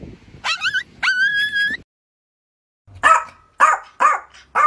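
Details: Yorkshire Terrier, a pet dog: two high, tonal whines rising in pitch with bright overtones, then a pause and four sharp yipping barks in quick succession, about half a second apart.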